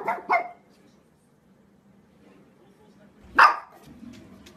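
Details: Pekingese (Canis familiaris), bark.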